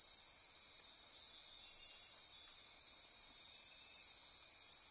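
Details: Insects chorusing after dark in Costa Rican rainforest near Corcovado National Park, Osa Peninsula; unwavering high-pitched ringing buzz with faint pulsing whistled notes riding on top, no pauses.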